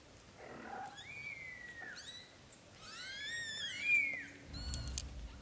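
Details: Newborn-to-month-old British Shorthair kittens cry with clear, drawn-out mews, some rising then falling. They overlap in a rich, harmonic cluster near the middle, then end with a few short squeaks and a soft rustle.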